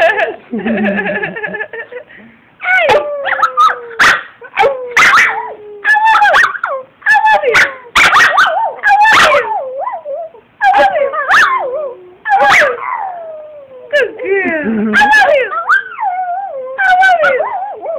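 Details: Addy, a two-year-old female Brussels Griffon, gets excited by high-pitched howls and answers with a busy mix of short yips, barks and wobbling howls. Her calls come in dense bursts with brief pauses.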